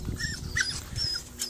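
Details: Harry, a 13-week-old Staffordshire Bull Terrier puppy, upset at being left at the foot of a ladder while his owner picks apricots from a tree above. He gives brief, thin, high-pitched whining notes over low rustling background noise.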